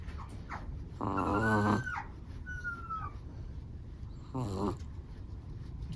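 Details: Dozing Chihuahua, black and tan, snores twice: a long buzzy, vibrating breath followed by a faint whistled squeak, then a shorter snore about three seconds later, all against quiet indoor background hiss.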